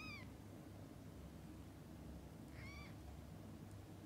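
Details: Mother cat with her kittens during feeding and bathing: two brief, high-pitched mews about two and a half seconds apart, each bending slightly downward, with quiet low rumbling noise between them.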